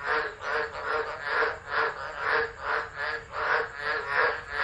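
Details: Tropical frog chorus during a tropical low, Driver, Northern Territory, Australia, 13 Dec 2013; dense croaking rises and falls in smooth surges roughly every second, under a faint high hiss.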